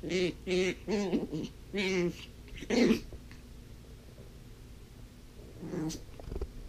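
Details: Blind female puppy at play with her toys gives a run of short, wavering whine-growls, four close together. This is followed by quiet, then one softer final call.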